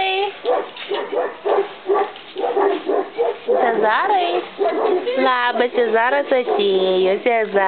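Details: S litter puppies, four weeks old, at kennel Gruodas: after steady human chatter, bursts of high rising and falling whimpers and squeaky yelps follow in quick succession, mixed with talking.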